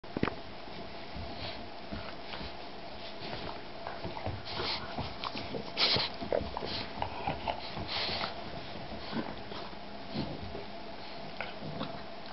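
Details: Boston bulldog and shar-pei mix puppy playing indoors in a small room, giving scattered short, rough snuffling grunts and bursts of scuffling noise over a steady low background hum.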